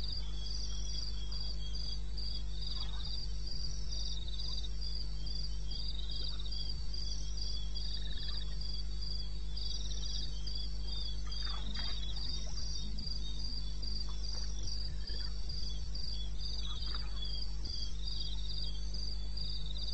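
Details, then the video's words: Crickets in the wilderness of eastern Botswana, recorded 21 May 2016 at 02:30 at night: high, rapid pulsed chirps repeat steadily, with a second slightly lower chirping caller in the background and a constant low hum. "1 Hour cricket sound"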